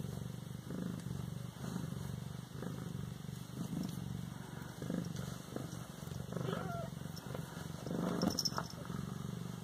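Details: Siamese kitten aged 18 days, Bas-Saint-Laurent: continuous low, rumbling purr runs through the whole stretch, with a faint thin mew late on and a soft rustle.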